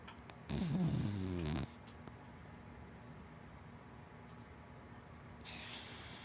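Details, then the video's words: Hana, a black wienerdog and Lab mix, snores in her sleep: a single harsh, vibrating snore of about one second with a deep rattling texture, then quiet, and the start of another breath at the end. "Hana the big black wienerdog Snoring"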